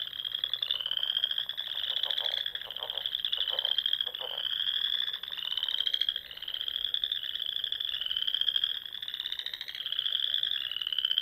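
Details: Spring frog chorus from the rolling Sandhills of Nebraska at dusk near ponds: many overlapping high trills rising and falling in waves every second or two, with a brief burst of lower rattling clicks early on.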